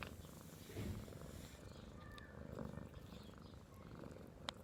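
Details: A cat's low, continuous rumbling purr with breathing swells about every two seconds, a short faint squeak and a sharp click at the very end.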